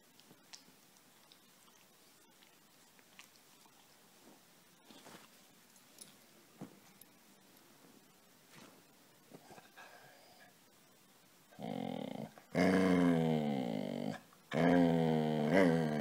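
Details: A quiet stretch of soft chewing and small knocks gives way near the end to Casy the dog, who wants to be petted, breaking into loud, low, harmonic grumbling moans in two close bursts.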